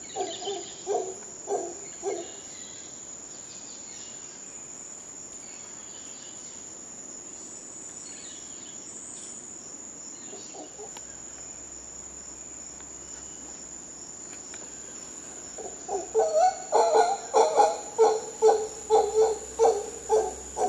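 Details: Howler monkeys in Costa Rica: a short burst of guttural grunting roars at the start, a long quiet stretch with only a high insect hum, then a louder rhythmic run of hoarse barks near the end.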